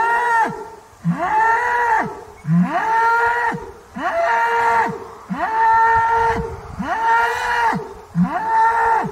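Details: Banteng giving a quick run of about seven short, arched lowing calls, each swelling and fading, repeated roughly every one and a half seconds without pause.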